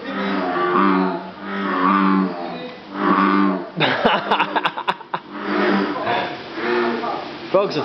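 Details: Bullfrogs at Jurong Frog Farm in Singapore, many calling together: deep, lowing, moo-like groans in long swelling bouts about a second long, repeated, with a burst of clicks and knocks between bouts.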